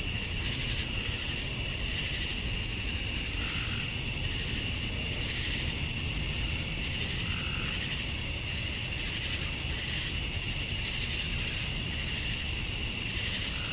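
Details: Georgia, USA, summer night at dusk, where cicadas keep up a dense high-pitched drone, swelling in regular pulsing waves of buzz roughly every second or two, and the steady tone never breaks.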